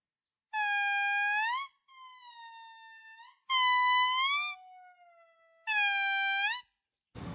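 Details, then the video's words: Monkeys of different kinds giving weird calls: long, sustained, slightly rising tonal wails, four main ones with softer fainter calls between them, and a short burst of noise at the very end. "Weird sounds of different monkeys"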